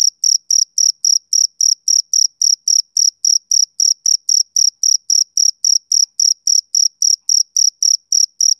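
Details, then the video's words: Steady chirps from a male cricket on a summer evening, high and piercing, pulsing regularly almost four times each second without pause, the only sound present. "Cricket Chirping Sound Effect"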